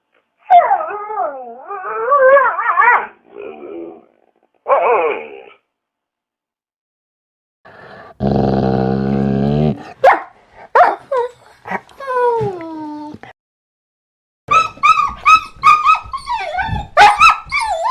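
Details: Dog whining in a series of wavering, high nasal whimpers that rise and fall, then a harsh buzzing growl-like burst, more sliding whines, and finally a run of sharp, excited yelps and squeals.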